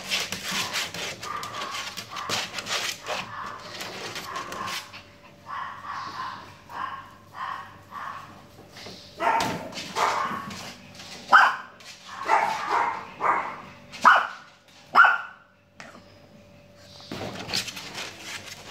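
A Shih Tzu gives short, high yips and whiny barks in uneven bursts over a faint steady hum.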